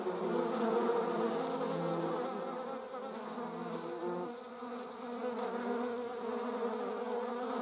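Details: Buzzing wasps, German wasp and paper wasp: a constant low droning hum, louder at first, briefly dipping near the middle, then steadying again, with faint pulsing in its tone.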